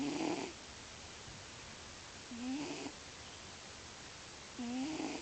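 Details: A sleeping male house cat named Lio, who always snores, gives three loud, tonal, reedy snores at steady intervals of about two seconds, each a short rising whine with a buzzy edge, with quiet pauses between them.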